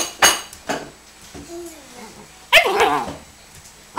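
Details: Doberman puppy playing indoors: short bright bursts and a low whining, wavering tone, then a louder burst of rising-and-falling yelps and barks, mixed with clattering knocks.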